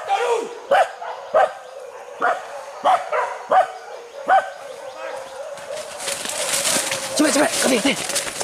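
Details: Hunting dogs chasing wild boar in a forest, baying in a series of short, sharp barks about every half second to second, then a burst of higher, overlapping yelps and excited voices in the final seconds.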